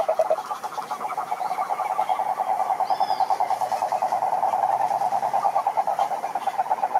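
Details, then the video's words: Rhinella marina, the cururu toad, chorusing at a lake in Brazil's Atlantic Forest. An unbroken rattling trill holds one mid pitch throughout and swells slightly louder over the seven seconds, with a brief faint whistle midway. "CANTORIA DE SAPOS CURURU"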